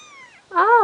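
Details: A two-week-old Bengal kitten lets out one loud, arching meow, rising then dropping, after a fainter descending cry.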